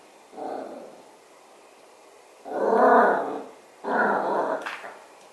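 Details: Yorkshire Terrier puppy, indoors, reacting to metal music: three low rough growling bursts, each under a second, with gaps between, the last followed by a brief sharp noise.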